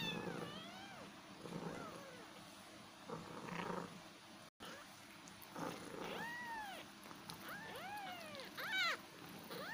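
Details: Several kittens meowing in overlapping, arched cries that rise then fall, some short and some drawn out, over a steady low hum and a brief dropout in the middle.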